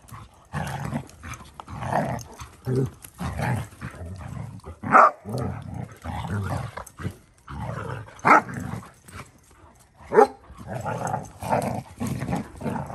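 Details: Basset Hounds making low, rough, drawn-out baying and growling sounds in uneven bursts. A few sharper yelps stand out near the middle and toward the end, over steady background music.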